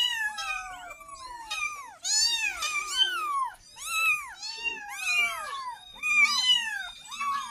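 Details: Kitten meowing to call its mother for milk: high, arching meows that rise then fall, overlapping in quick succession, with short pauses near the two- and four-second marks.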